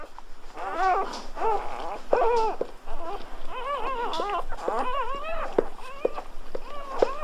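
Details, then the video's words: Freshly born Golden Retriever puppies whimper and squeal continuously, wavering cries rising and dropping in pitch, overlapping in a busy, crying chorus with soft handling sounds. "Birth of Golden Retriever Puppies with Orignal Sounds"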